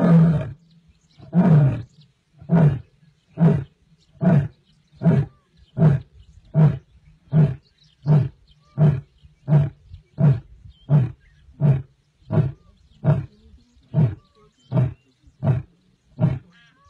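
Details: An Asiatic lion in Gir National Park's jungle gives a long series of deep, throaty grunting roars, each under a second apart.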